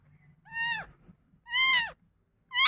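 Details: Domestic cat crying indoors shortly after being fed: two drawn-out, high, clear meows that rise then slide down, about a second apart, with a third beginning at the end; quiet low hum behind.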